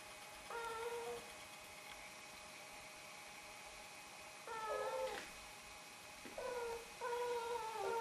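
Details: Chatty Snowshoe cat, one of a pair, calling to say hello or ask for attention, food or a walk; four clear harmonic meows, short then longer, spaced irregularly with a pause of several seconds after the first, against faint room hum.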